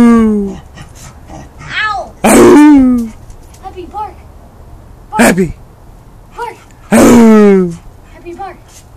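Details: Dog prompted to bark on command gives two loud, harsh barks about five seconds apart among softer whimpers, mixed with a person speaking throughout.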